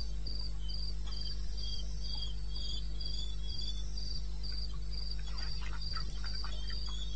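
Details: Night recording of a cricket from eastern Botswana's wilderness, 2:30 am in May: rapid rhythmic chirps at a high pitch, evenly spaced, over a steady low hum, with a few faint clicks.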